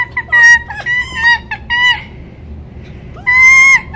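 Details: Rescued fur-farm red fox Winter, a female still learning to trust, whining indoors after affection stops: several sustained, steady, harmonic whines in short series, then a pause and one longer drawn-out whine.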